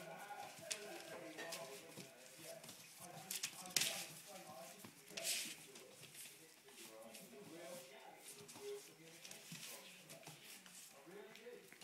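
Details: Twenty-two-day-old English Springer Spaniel puppies toy fighting; brief, bending squeals and grumbly whines come in clusters, with occasional louder knocks and a person speaking softly to them.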